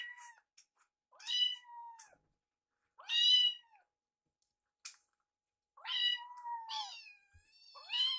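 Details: Baby kittens Piyo and Yuki, rescued and fostered, eating together while Yuki picks at the leftovers. Five or six thin, arching kitten meows spaced one to two seconds apart, ending in a quick double cry, with a few soft clicks.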